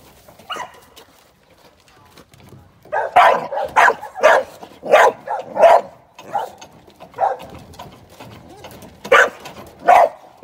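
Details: Young American Staffordshire Terrier, a working sporting dog in training for ADBA shows and sporting events, barking in sharp bursts, about eleven barks packed between the third and tenth seconds after a quieter opening yelp.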